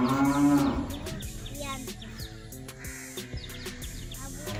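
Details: Village cow herd mooing: one low, drawn-out moo in the first second, then broken percussive clatter and background music with faint higher calls.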